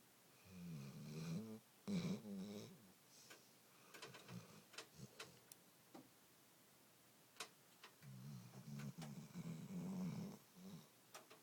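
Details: Joony, a pet dog, snoring indoors: two long, low, rasping snores, the first early and the second near the end, separated by quieter breathing and small scattered clicks.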